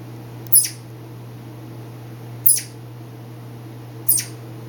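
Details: Southern flying squirrel named Hammy, a pet, vocalizing to himself late at night indoors: three brief high-pitched chirps spaced about two seconds apart over a steady low hum, followed by a person's voice.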